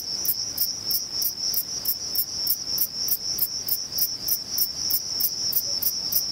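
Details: At Vilella in Sueca, a male Thyreonotus corsicus bush-cricket stridulates in crisp, evenly spaced high chirps, roughly three to four per second, layered over a constant piercing buzz throughout.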